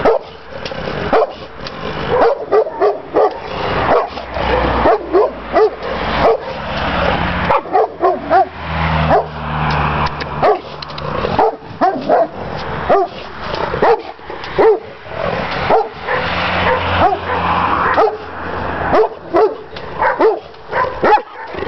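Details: Šarplaninac Tajson defending the yard with a long run of heavy, rasping barks in uneven clusters, a low steady engine-like hum underneath in places.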